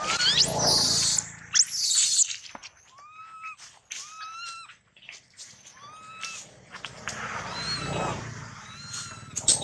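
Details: A young monkey whose leg was nearly torn off by a big male utters quick strings of piercing, whistled cries that bend upward, clustered several per second, amid rustling and handling noise at the start and near the end.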